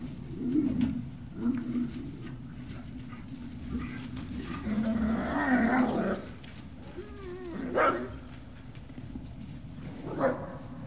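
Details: Great Dane puppies at Puppy Hill, 18 November 2018, in the afternoon. Low grumbling and soft growls are heard over background rustling, broken by rising and falling whines and a couple of sharp yelps.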